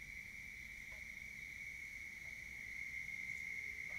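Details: Toads (genus Bufo) on the banks of a pond on a warm spring night, 29 April 2021, in Richland County, South Carolina, give a steady, high, unbroken trill that runs without pause.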